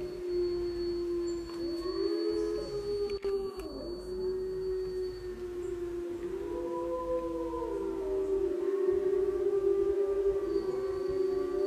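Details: Several captive gray wolves at Bays Mountain howl together in long, sustained tones that slide up and down and overlap.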